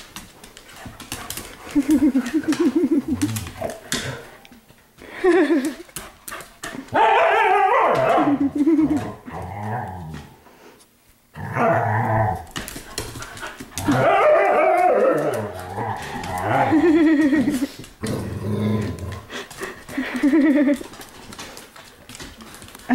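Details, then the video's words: Pet dogs playing together in a living room at night; repeated harmonic growls and whiny vocal bursts arrive in clusters separated by short pauses, with scuffling and a woman talking between bouts. "Dogs Playing Inside"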